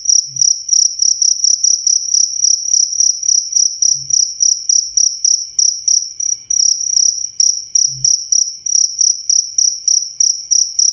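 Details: Cricket chirping loudly and steadily, a shrill high-pitched pulsed trill with a faint higher overtone, bursts repeating about three to four times a second, with occasional soft low thumps in the background.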